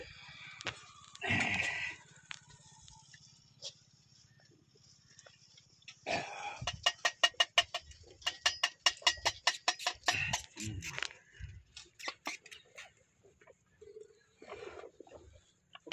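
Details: One-day-old newborn lambs in a village give a harsh, harmonic bleat early on and another near six seconds. A rapid run of sharp clicking pulses follows, then a few short calls toward the end.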